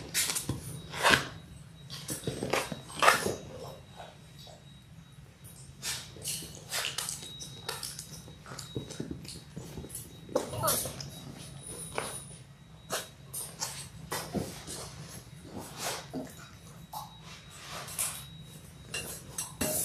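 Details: Six-week-old Labrador Retriever puppies, a litter of six born January 18, 2022, on an indoor puppy cam; scattered short whimpers and soft yips amid patter, scuffling and chewing sounds in a small room, with a faint steady tone.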